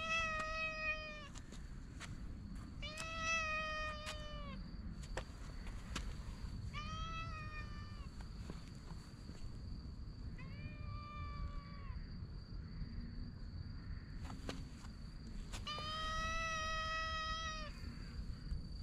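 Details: Stray cat outdoors, patted on the lower back, giving five drawn-out harmonic meows about every three seconds, each steady then slightly falling; steady low rumble of background noise and a constant high electrical tone.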